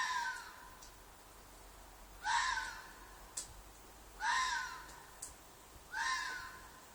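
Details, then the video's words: Red fox shrieking at night in a field behind an apartment; three loud rasping screams about two seconds apart, each bending downward, with faint clicks in between. "Fox Noise - Fox shriek/call/cry/mating call"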